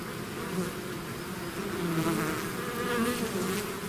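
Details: Bee swarm out of its hive: dense, steady droning hum with overlapping wing-beat tones that waver in pitch, swelling slightly midway, a continuous buzz with no other clear sounds.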